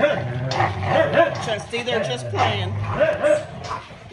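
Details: Indoor play between family dogs during a quiet evening in front of the TV; steady low growls interrupted by short yips and whimpers, with speech over the top.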